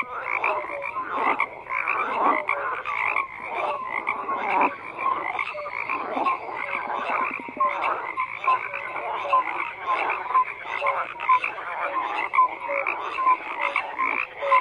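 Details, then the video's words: A crowd of frogs keeps up a steady croaking chorus of coarse, rattling calls with occasional brief tonal chirps, dense and unbroken from start to end. "FROGS CROAKING"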